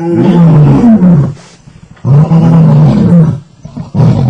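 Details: Lion pair mating, with heavy, low moaning growls in two long rasping bursts that sag downward in pitch, separated by a brief near-silent pause and a third growl starting at the end.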